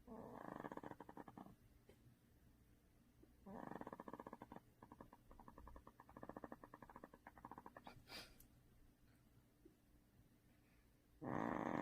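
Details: Pet dog Duhee, second of four household dogs, snoring in sleep: long fluttering, rattling snores of one to two seconds with a rapid pulsed texture, separated by quieter stretches, and a louder snore starting at the end.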